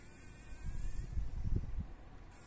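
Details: Fly trapped in a spider web in a workshop corner, struggling in the morning sun: a run of low, rough buzzing bursts, irregular and pulsing, swelling for about a second and a half before dying away into quiet.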